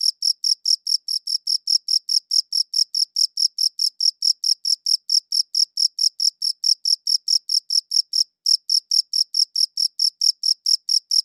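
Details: Crickets chirping, recorded with a good audio recorder: rapid, sharp, high chirp pulses repeating about four to five times a second, with one brief pause partway through before the steady rhythm resumes; no other sounds.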